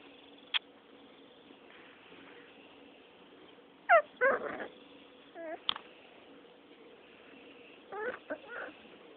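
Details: Six-week-old Rottweiler puppies fighting and playing together: brief sharp yips and short squealing whimpers come in scattered bursts, with quiet gaps and a steady low background hum between them.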